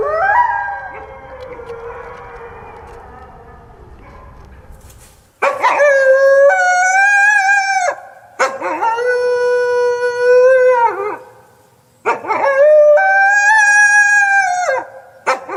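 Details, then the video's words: Wolf howling in three separate long, clear, rich-toned notes, each held a few seconds with a slight rise and fall, separated by short silences after a softer, muffled opening howl. "WOLF SOUNDS! What is the sound of wolf?"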